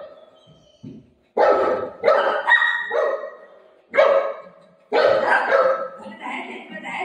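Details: A pet golden retriever named Buzo, playing with his mom, barks to say an aunty has come and the door should be opened. Several strong, harmonic barks follow one another over a few seconds, with a woman's voice faint behind.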